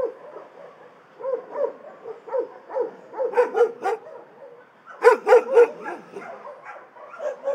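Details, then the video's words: Shelter dogs barking in overlapping bouts, softer barks at first building to louder clustered barking around the middle and a loud burst near the end, several animals calling at once. "Szczekające psy w schronisku"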